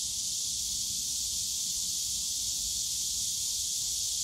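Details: Loud, steady cicada drone in a park bamboo grove at Yongsan Family Park on a summer day, one seamless hissing, high-pitched buzz with no pauses and only a faint low background rumble.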